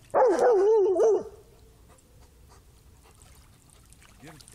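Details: A black Labrador whines while messing about in river water after a stick on the riverbed. A single sustained, quavering cry of about one second wavers in pitch and fades into faint background sounds.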